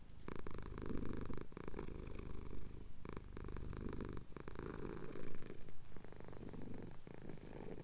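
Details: Male pet cat purring while having his chin scratched at sunrise over the Cotswold hills, captured on a Tascam DR-07X; a deep, continuous rumble that pulses in breath-length bursts with brief soft breaks between them.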